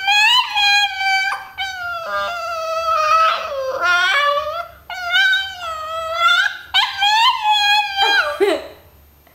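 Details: A long run of the pet dogs' 'talking' to their owner indoors: sustained, wavering howls and whines that rise and fall in pitch, broken by short pauses and a few sharp yips. The sound is continuous and sing-song.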